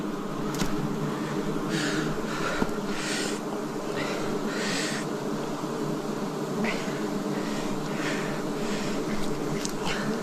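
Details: Wild forest bees buzzing during a 2026 honey harvest, a thick continuous hum from many insects, broken by repeated short hissing or rustling bursts every second or two.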